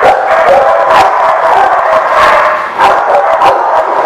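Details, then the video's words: Many dogs at The Barking Lot, recorded 19 September 2016, bark together in a loud, constant din: overlapping yaps and woofs with sharper bursts every fraction of a second, giving a dense, echoing roar. "The Barking Lot"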